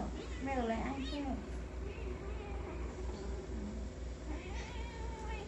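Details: Two kittens playing and confronting each other at home while a dog sits watching; rising and falling wavering meows early on, then quieter calls under steady low hum and people speaking Khmer.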